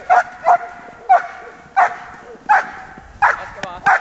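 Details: Giant Schnauzer, a female aged one year and seven months, barking during bitework training: sharp loud barks repeated about every 0.7 seconds, seven in four seconds, with faint voices behind.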